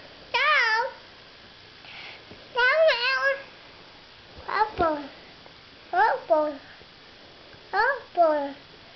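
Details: Pet cat meowing indoors while a boy pets it with his foot; five bursts of drawn-out, wavering meows, some in quick pairs, with people chatting softly in a small room.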